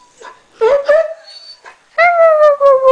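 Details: Norwegian Elkhound Maddie singing along with a Husky: short rising whines, then a long, steady, slowly falling tonal howl broken into two sustained notes, in a quiet indoor setting.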